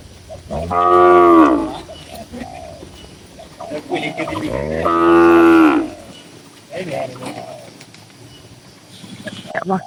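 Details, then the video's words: Tame cattle, dozens gathered calmly in a farm pen, low-pitched drawn-out moos, two long loud calls about four seconds apart, with quieter lowing and soft bird coos in between. "Suara Moo Moo Sapi Lucu dan Menghibur"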